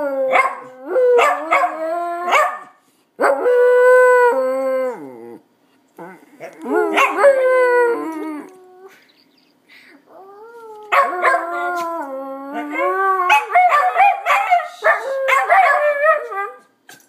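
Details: Two West Highland White Terriers howl together after a little provocation, drawn-out wavering notes mixed with yelps and sharp barks.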